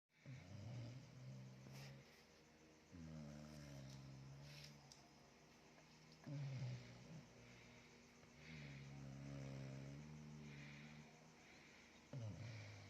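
A Chow Chow snores in low, rumbling breaths, each lasting a second or two, repeating every few seconds.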